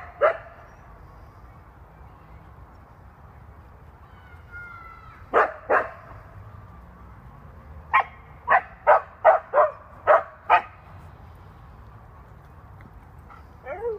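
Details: Pet Siberian Husky giving scattered short sharp barks and yips: a single bark, a pair, then a quick burst of about six evenly spaced barks, over quiet background hiss.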